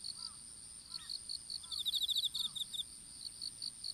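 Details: Insects chirping in an open-field strawberry patch in Japan during seedling planting, phone lying on the ground: short high chirps repeat about every third of a second over a constant shrill tone, with a denser pulsed burst midway and faint low bird notes.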